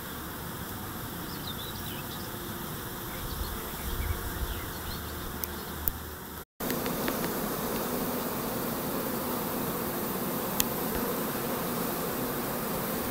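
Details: Honey bees in foraging flight on 4 May 2013 during a dry spell with cool to cold nights, the main nectar flow beginning; a dense continuous humming drone of many bees, briefly cut by a short gap midway.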